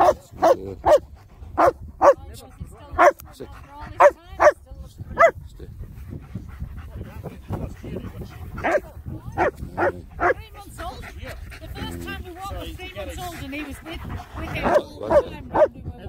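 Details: German Shepherds, two dogs, barking in loud, sharp bursts, several in quick runs over the first five seconds, then more scattered barks mixed with whines and yips, with wind noise throughout.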